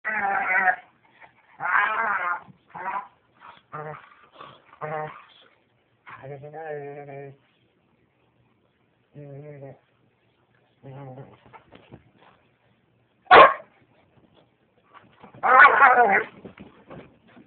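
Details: A white dog named Lady making odd vocal noises while playing with another dog, Lucy; a noise she picked up from another dog. Harmonic moaning and yowling bursts, some low drawn-out tones, with gaps of silence and a sharp sudden yelp near the end.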